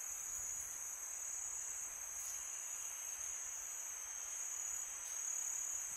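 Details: Nighttime crickets in summer produce a constant thin, high ringing trill, layered over soft windy background noise, peaceful and music-free.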